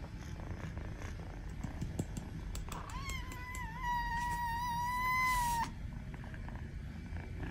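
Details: A kitten gives one long, level meow from about 3 to 5.5 seconds, growing louder toward its end, amid soft tapping and background noise; the sound is intended to make cats react.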